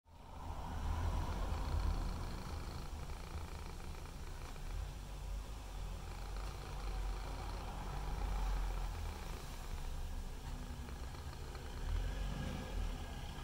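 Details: Mimi, a white and ginger male cat, purring with his tongue out, filmed on a Google Pixel 3 XL; a low, steady rumbling purr runs throughout, swelling slightly in loudness every few seconds.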